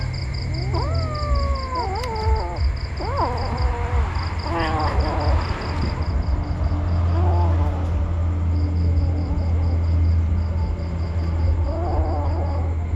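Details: Kittens crying with high, bending mews, a quick cluster early and softer scattered cries later, while a rhythmic electronic beeping and a heavy low hum continue throughout.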